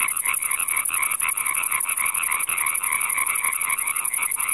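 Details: European tree frog (Hyla arborea) calling with a loud, quick rattle of nasal croaks, several per second, while a thin, very high-pitched pulsing buzz runs steadily above it throughout; filmed on a Panasonic GH4.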